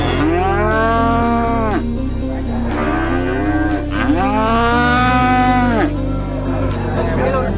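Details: Cattle at Ponan market in Wonogiri, Central Java, Indonesia, a gathering of East and Central Java cattle including Simmental, Limousin and Pegon breeds: two long, loud moos rising then falling, over constant low droning and regular clicking ticks.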